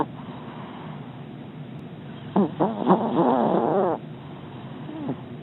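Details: Scooter, a pet dog, snores while sleeping comfortably in his dog bed indoors: after a quiet, steady breathing hiss, a wavering, nasal, squeaky snore runs about one and a half seconds, followed by a short faint wheeze.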